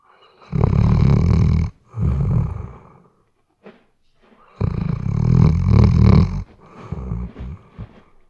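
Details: Weimaraner asleep and snoring, captured with a RODE NTG3B shotgun microphone: deep, rattling snores come in long breaths, two close together, a pause with a tiny snort, then a longer loud snore and a softer fading one.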